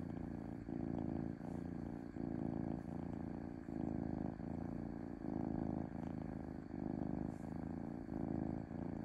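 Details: Smooth, peaceful purring from a domestic cat, a deep vibrating drone rising and falling with each breath in even cycles just under a second long, sustained across the whole stretch without other noises.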